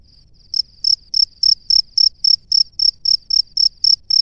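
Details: Male cricket at its nest calling a female: after a half-second lead-in, a steady run of about fourteen short, high, shrill chirps, roughly three or four per second, with a faint low rumble beneath.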